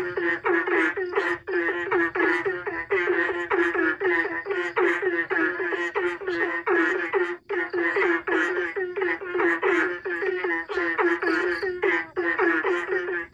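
Frogs croak in a dense, rhythmic chorus, answering one another with quick, throaty repeated notes.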